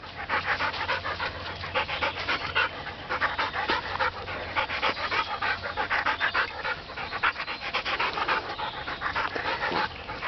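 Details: Border Collie panting indoors while running between a person's legs; rapid breathy pants, roughly three or four per second, steady throughout with a broad hissing quality.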